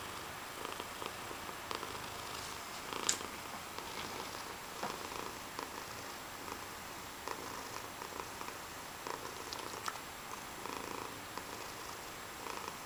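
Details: A pet cat purring indoors, a steady soft rumbling texture running through the whole recording at low volume, with faint clicks and small rustles on top.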